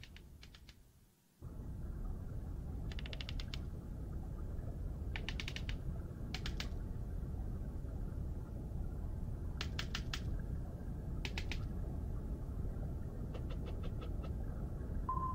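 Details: Sperm whales in the Mediterranean, recorded in August 2018 by a four-hydrophone array under a marine drone, give communication clicks: sharp dry ticks in short bursts over a steady low underwater rumble.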